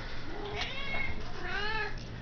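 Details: Domestic cat meowing to be fed inside a home: two wavering harmonic meows, the second longer and louder, amid a person's coaxing questions.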